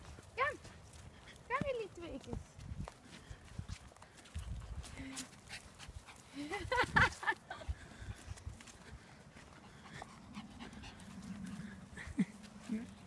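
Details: An 8-week-old female Staffordshire Bull Terrier puppy playing with a Shih tzu gives a few high, arching yelps and whines amid people talking.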